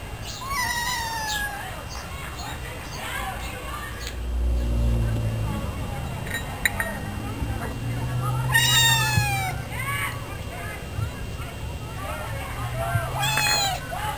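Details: A cat meowing before being given food; several drawn-out, arching meows come in bursts near the start, middle and end, with low rumbling background noise and soft voices between them.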